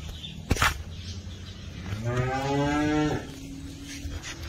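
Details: Heifer moo from a group of Holstein Friesian and Jersey heifers: one sustained, nasal moo about a second long, preceded by a sharp knock, with a low steady hum behind.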